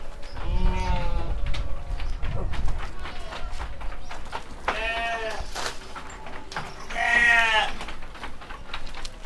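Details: Seven-month-old rams being loaded for transport in Kediri, Indonesia, give two strong, rough, rising-and-falling bleats in the second half, after thumping and low voices at the start.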